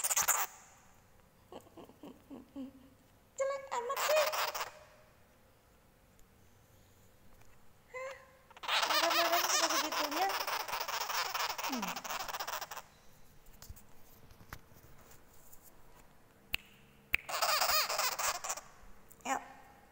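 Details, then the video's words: Angry baby sugar glider giving harsh, buzzy, rapidly pulsed chattering bursts, the longest about four seconds, with a woman talking and coaxing it between bursts indoors. "baby sugar glider lg marah"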